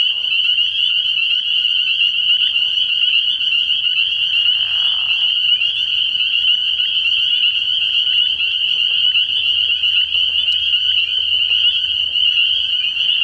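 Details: Dense nocturnal chorus of spring peepers at a frog pond early in the year: countless high, shrill peeps fused into an even ringing sheet of sound, a faint low hum beneath in the latter half.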